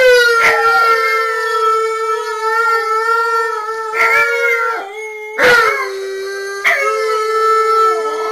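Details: Tonka and Monroe, two dogs home alone and recorded by security cameras, sing to Memphis and Kira: a steady, long-held howl with strong layered overtones, broken by short sharp noises.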